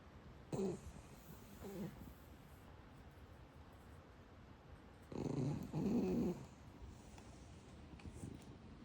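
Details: Sleeping Shiba Inu 海苔寶 giving soft snores indoors: two brief low snuffles early on, then a pair of louder rasping snores back to back around the middle, with faint breaths between.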